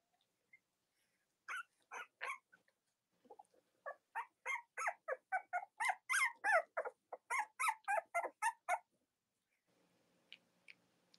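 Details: Cavalier King Charles Spaniel puppies of mothers Robin and Myra, indoors on a chilly late-October morning in the US, let out a rapid, fairly regular run of high yelps and squeaks, about three per second, then fall quiet.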